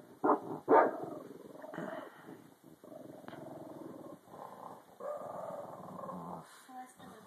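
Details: Indoor female Boston Terrier, angered as her owner calls someone into the room, untouched, growling: a rough continuous rumble that swells and fades over several seconds, under two loud shouted calls from a person at the start.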